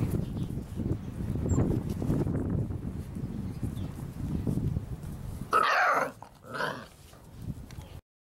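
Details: Labrador Retriever puppies at six weeks old make a steady low growly rumble, broken late by one loud, sharp yelp-like burst and a shorter second cry before sudden silence.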